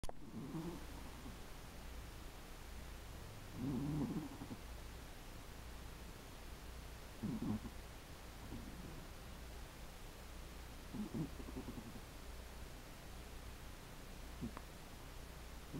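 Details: Sleeping Chihuahua snoring softly, each rasping low breath rising out of a steady background hum about every three to four seconds, with quiet gaps between.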